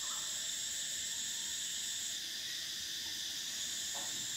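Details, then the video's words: Unbroken high-pitched cicada buzzing on a summer day, several stacked droning layers at constant loudness, with a few faint distant chirps barely showing through. "Cicadas: the sound of summer, the soul of nature"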